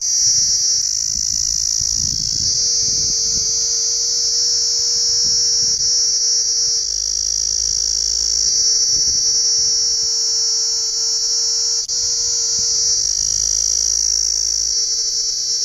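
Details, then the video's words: Constant piercing buzz from cicadas, unbroken and even throughout, with a faint lower hum beneath and soft low rumbles in the background. "Sound of Cicadas"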